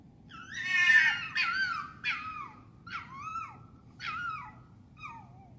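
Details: Urban foxes at night in London, England: a loud, harsh harmonic scream followed by five shorter hoarse barking screams, each falling in pitch, spaced roughly one second apart over a quiet low background hum.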